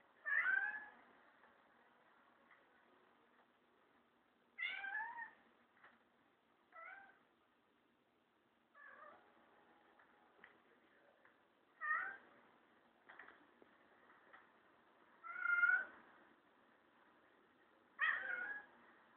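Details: Kurilian Bobtail cat defending his teddy bear friend from a broom indoors: repeated short, wavering, rising-falling meowing cries with strong harmonics, about seven bursts spaced two to four seconds apart, with faint knocks between.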